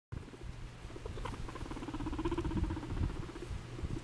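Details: Pet guinea pig moving oddly; a low, fast pulsing rumble builds steadily through the clip, purring in rapid throbs, with light pattering of movement underneath.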